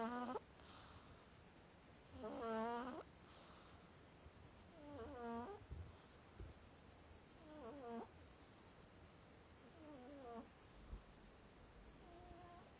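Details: Domestic cat snoring: soft, voiced, wavering snores with a tonal, harmonic edge, returning about every two and a half to three seconds over a low steady hiss.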